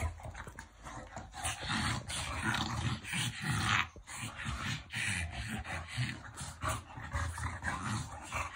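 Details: Playful French Bulldog, affectionate roughhousing, producing a continuous throaty growl that swells and dips, with harsh snorting bursts and scuffling sounds mixed in.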